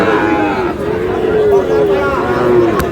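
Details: Sahiwal bull calves at a cattle market in Comilla, Bangladesh, on 31 March: a long low moo slides gently downward over about two seconds, with steady crowd chatter and people talking close by.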